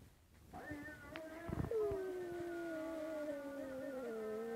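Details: Dog howling during the call to prayer in Çiçeklidere: a long, steady, gently falling tone that holds for about three seconds, with a higher harmonic layer above it. A brief clatter comes just before it begins.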